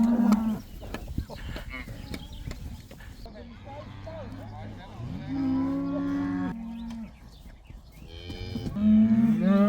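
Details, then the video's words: Cattle let outside for the first time, a herd of about 80 cows with one black: several deep harmonic moos, some long and level, some rising and falling, with overlapping calls from other cows and rustling in between. "These cows are allowed to go outside for the first time! They love that!!"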